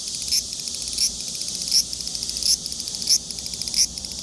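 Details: Large brown cicada producing a grating, fast-ticking buzz with a stronger surge roughly every 0.7 seconds, steady and insistent.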